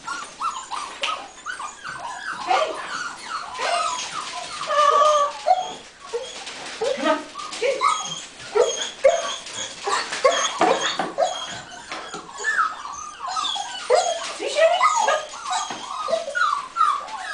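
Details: Golden Retriever puppies running about while exercising, a busy stream of overlapping high whines, yips and squeaks, rising and falling in quick bursts throughout.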